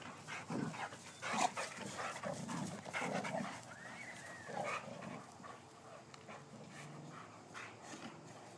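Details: Male Boxers wrestling in rough play, recorded on an iPhone: rumbling growls and snorts come in uneven bursts, then the noise tapers off into quieter scuffling toward the end.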